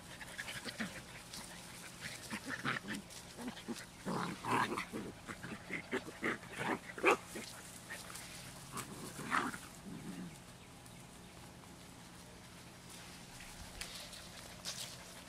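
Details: Mixed-breed rescue puppies, twelve weeks old, with a Beagle, Terrier, Cattle dog and GSP background, making short voiced grunts and squeaky little whines in clustered bursts, then a quieter stretch with only a low background hum.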